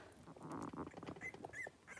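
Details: Three-week-old blenheim Cavalier King Charles Spaniel puppies from a litter of five wrestle and play in a home puppy pen, giving soft grunts and a couple of brief high squeaks amid shuffling and rustling.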